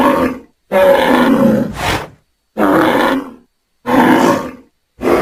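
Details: Angry bull in a pasture, bellowing in hoarse, breathy bursts of about a second each, separated by short silent gaps, roughly four calls across the stretch.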